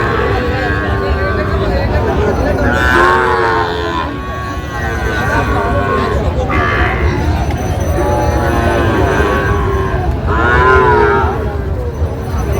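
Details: Sahiwal bull calves among 32 bought at a cattle market by a Barisal farmer, 23 June 2025; four or five drawn-out, mid-pitched moos spaced a few seconds apart over a rumbling, busy market background with voices and traffic.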